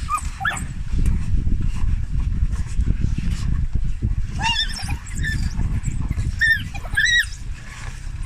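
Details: Rescued African wild dogs, an endangered species, held in a shelter in Botswana awaiting release, calling while being fed: short high harmonic yips and whines near the start and clustered toward the end, over heavy low rumbling noise.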